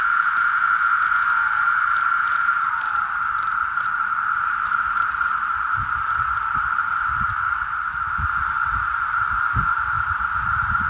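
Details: A Magicicada septendecim periodical cicada chorus of Brood VII, the 17-year brood, in Onondaga County, New York, in spring 2018: a steady, droning hum that holds one pitch throughout.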